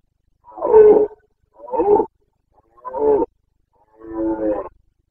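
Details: Carpathian red deer stag in rut in Bucovina's mountain forests, 29 September 2022, giving the boncănit: four rough, guttural roars roughly one second apart, each a short harmonic blast, the last one longer and more drawn out.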